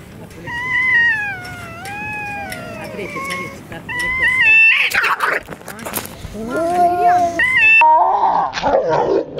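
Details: Stray cats fighting in a Russian city, drawn-out wavering yowls gliding up and down in long harmonic tones, broken by harsh hissing spits around the middle and at the end.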